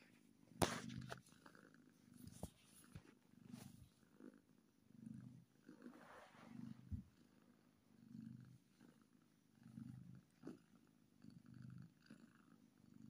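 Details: Happy kitten giving a clear rhythmic purr, low throbbing pulses swelling and fading about once a second as it breathes in and out, with a sharp click near the start.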